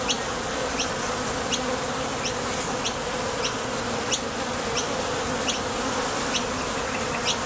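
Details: Honey bees at the entrance of a Top Bar Hive, coming and going to the field for nectar, leaving and landing. Their thoracic muscles make a dense, steady hum that never lets up, broken by faint short ticks as single bees pass close.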